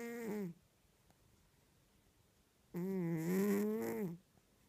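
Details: Sleeping domestic cat snoring, recorded on a mobile phone indoors: a brief end of one breath, then after a two-second pause a longer buzzy, tonal snore lasting about one and a half seconds, steady in pitch with a slight rise, in a quiet room.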